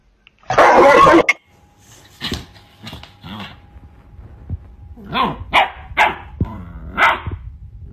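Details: A Rottweiler puppy reacts to being shown a middle finger with a loud harsh bark, then a run of short gruff woofs and vocal grumbles.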